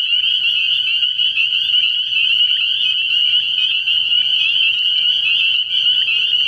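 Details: Spring peepers calling in a dense chorus at a frog pond at night early in the year: continuous high peeping notes overlapping into a steady shrill band, with faint low sounds underneath.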